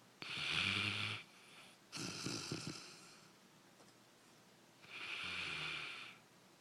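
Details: Daisy, a pet dog, snoring while asleep indoors: long raspy, hissing breaths about a second each, separated by quiet pauses, with a low rumbling undertone in the louder snores.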